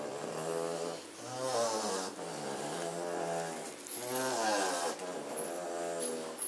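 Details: A litter of German Shorthaired Pointer puppies from Katelands, among them Blake, zonked out indoors on 27 September 2016 after playing. Long, nasal, humming snores swell and fade, with one quieter breath between two louder rasping ones.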